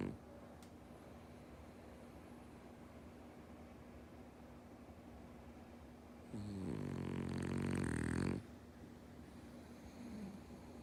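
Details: Sleeping male French Bulldog Omochi, born 13 September 2013, breathes quietly, then lets out one loud, gravelly two-second snore before falling quiet again.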